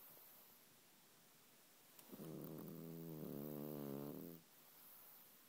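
A French Bulldog snores with a single drawn-out, fluttering rumble lasting about two seconds. The sound is low and throaty with a rapid vibrating texture, set against a quiet room hiss.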